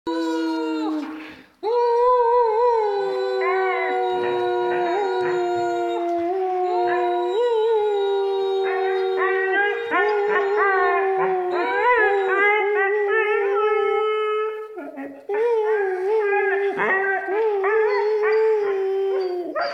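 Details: A female Weimaraner gives long, wavering howls with grumbling, moaning bends in pitch, imitating a Star Wars Wookiee.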